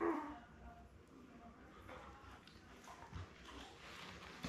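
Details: Labrador Retriever litter of seven newborns, born May 24, 2021, with mother Belle on an indoor live puppy cam: a brief sharp squeal opens, then soft intermittent whines and shuffling against a low hum.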